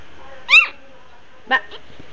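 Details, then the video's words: Four-week-old Shih Tzu puppies give two short, high, squeaky whimpers, the first a rising-falling whine and the second a brief yelp about a second later, over a quiet background hum. "4 weeks old shih tzu puppies.."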